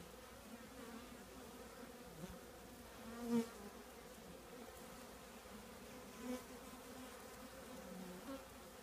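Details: Honey bees of a colony nesting in an old trash can give a constant layered hum, punctuated by two short louder buzzes of bees passing close at about three and six seconds.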